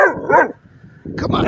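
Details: Three-month-old Doberman puppy barking at a sign on the way to the dog park: two short, harmonic barks in quick succession, followed by a person's voice reassuring him.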